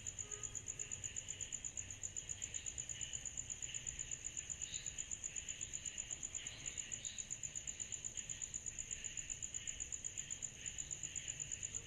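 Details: Continuous cicada chorus on a summer night, a shrill, fast, evenly pulsed tone above a murmuring mid-pitched buzz, with little other sound.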